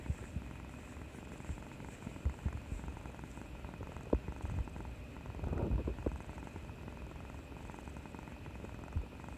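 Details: Cat being affectionate after bravely getting its injection, purring with a low continuous rumble, occasional soft clicks and a brief louder rustle midway, recorded close up indoors.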